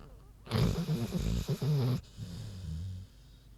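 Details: Queenie the big pig asleep, one loud rough snorting inhale lasting about a second and a half, followed by a softer low rumbling exhale.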